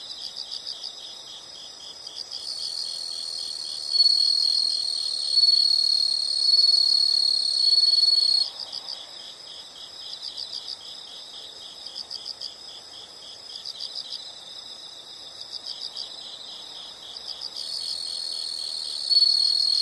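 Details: Insects calling in a nature soundscape: a dense, high, rapidly pulsed trill forms a continuous shrill drone, with louder overlapping bands swelling in and out every few seconds.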